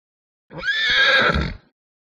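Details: Small horse or pony letting out a single loud whinny lasting about a second, a bright, shaky, high-pitched neigh with a faint low rumble beneath, otherwise silent.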